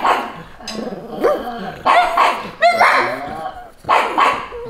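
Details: Pugs Lilly and Lucy, dressed in Santa Claus costumes, bark to defend their territory against bleating sheep; sharp, loud barks and yips come in bursts about a second apart, with a human voice mixed in between.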